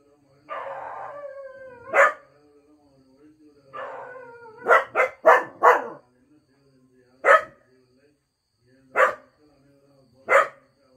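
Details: Two Cocker Spaniels give short, wavering howls broken up by sharp, single barks.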